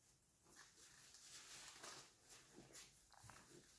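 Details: In the morning, Basenji puppies from one litter give short, thin whimpers and squeaky yelps against a steady background hiss, 24 January 2023.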